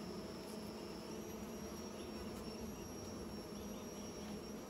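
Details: Bees at work making new nests give a constant low buzzing drone with rich overtones, unchanging over the short stretch, plus a steady high thin tone.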